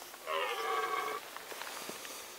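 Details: Short, even harmonic roar of a rutting red deer in the Sandomierz Forest, Poland, 2018, lasting about a second, followed by faint clicks and rustles.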